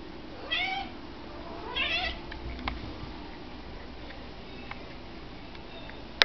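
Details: Pet cat meowing at a window, eager to get outside to a squirrel; two rising-then-falling meows about a second apart, followed by quiet room noise and a few small clicks.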